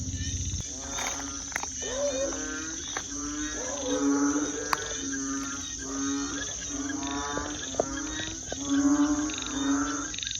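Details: Frogs call in a village at night, around 11 pm, with deep, drawn-out groaning croaks that overlap and repeat in an uneven chorus, over a continuous shrill cricket trill; dogs were barking nearby.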